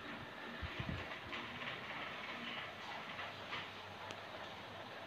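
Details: Steady broadband rushing noise like a passing train, with a few low knocks near the start and no clear animal voice.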